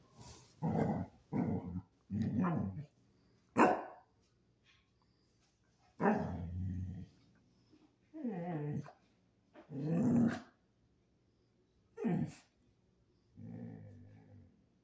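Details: Basset Hound going from cute to angry, giving deep gruff growls and rough barks in separate bursts roughly every one to two seconds, some with a wavering, grumbling tone.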